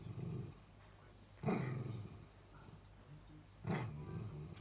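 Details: A Miniature Dachshund, one of two, gives low, rumbling grumbles broken by two sharp huffing bursts, fussing for its owner working in the next room to come back; it isn't angry, just can't whine through its nose.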